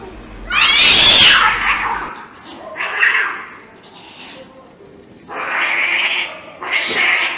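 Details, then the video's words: Angry stray cats in a street fight: loud, explosive hisses and spitting bursts, the first one shrill and raspy, followed by shorter breathy hisses at irregular intervals. "Real Cat Fight Angry Cats Vs Cats Аngry Compilation Video Ever| cats and Cats Fight|Watch With Sound"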